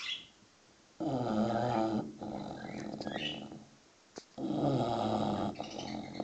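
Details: Six-month-old English Bulldog puppy sleeping and snoring: two loud, low, rasping snores about three seconds apart, each around a second long. Birds twitter faintly in the background.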